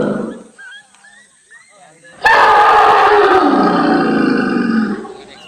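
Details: In a tea garden at Kathiyatoli Rengbang, an elephant lets out a sudden loud rough roar lasting nearly three seconds, harsh and broad, after a quiet start with faint murmuring.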